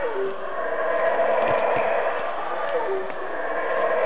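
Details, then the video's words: Unseen howler monkey roaring from above at close range, a steady harsh drone rich in overtones, holding loud with slight pulsing and brief faint clicks in the middle. "Sounds of the Howler Monkey"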